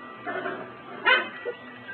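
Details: Tibetan Terrier puppy from a first litter of 2008, playing outside with its littermates; one short, sharp high yap stands out briefly, with a woman's cooing voice heard softly around it.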